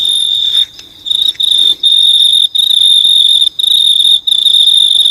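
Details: An unidentified insect in the dark in New Zealand gives a steady, high, shrill ringing trill, broken only by a few brief pauses.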